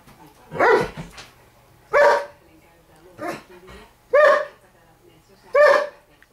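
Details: Pet borzoi barking at her owner because her toy is under the table and she can't reach it; five loud, separate barks, roughly one every 1.2 seconds, with faint talking between them.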